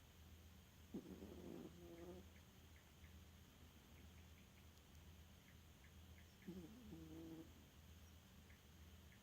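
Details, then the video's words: Dog Elfa asleep and snoring: two rough, buzzy snore breaths roughly five seconds apart, each with a layered harmonic rasp, against a constant low electrical hum and soft high ticks. "Эльфа храпунишка"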